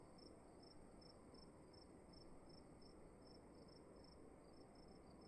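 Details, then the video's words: Cricket chirping in a room, short high pulses repeated steadily about twice a second over a constant low hiss and rumble. "Sound of emptiness and crickets in the room"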